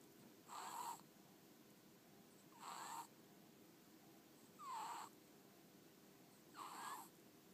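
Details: Sleeping domestic ferret, Ten-chan, deeply asleep with eyes half open and tongue wiggling; soft raspy snores with a faint squeaky whistle, four breaths spaced roughly two seconds apart against low background hiss.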